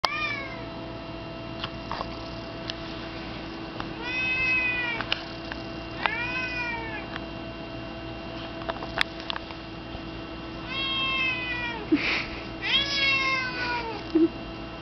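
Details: A seven-year-old female pet cat throwing a fit indoors, meowing nonstop: loud, drawn-out wailing meows with arching harmonics, some in quick pairs, separated by short pauses, over a steady background hum.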